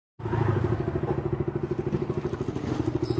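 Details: A motorcycle engine idles and throbs steadily outdoors in an urban setting, with no animal sounds heard.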